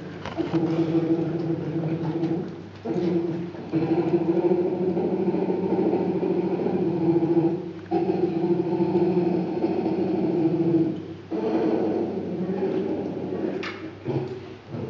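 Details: Polar bear cub suckling from its mother Venus inside the polar bear den, filmed by zookeepers; the cub vocalizes loudly to make the milk flow. A steady, buzzing, harmonic hum runs in long bursts of several seconds, broken by short pauses.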